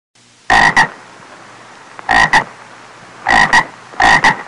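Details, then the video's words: Croaking of a little frog, the 'ộp ộp' sound: four strong, grating double notes in under five seconds, each pair clipped and abrupt, with faint steady noise between. "CHÚ ẾCH CON Tiếng kêu và hình anh của con ếch kêu ộp ộp"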